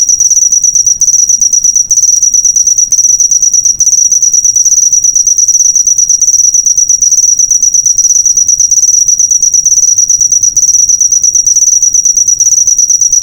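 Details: A cricket trills nonstop in a master track for training caged birds, a sharp high-pitched buzz of quick even pulses, occasional momentary drops, nothing else audible.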